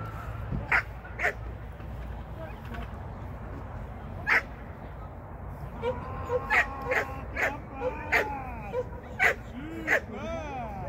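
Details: Shetland Sheepdog named Sian at a first lesson in 2023: sharp, short barks scattered through the clip, with a denser run in the second half, alongside higher whining tones and voices in the background.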